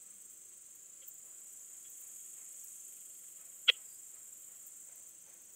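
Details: Leptophyes boscii bush-cricket singing at Vela Ucka, Croatia, on 10 July 2022, picked up with an ultrasound detector: a single sharp click-like chirp stands out against a steady high hiss, with a few faint ticks elsewhere.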